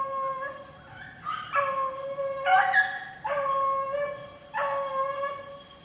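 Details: Rabbit-hunting beagles in the rain let out ringing, tonal howled bays, four clear cries roughly one per second, each holding a steady pitch before breaking off, with soft rain noise behind.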